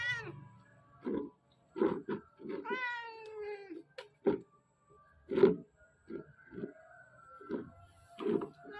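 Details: Mother cat guarding two kittens of about two months as they chase and pounce in a game of hide and seek, meowing again and again as a warning. Several short, bending meows come between soft thuds and scrambling noises.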